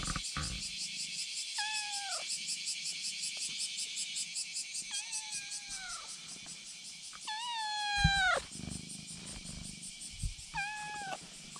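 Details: On a bridge a kitten meows to summon a black cat, which responds by coming over: four or five clear harmonic meows, each bending downward, spaced a few seconds apart over a pulsing high insect drone.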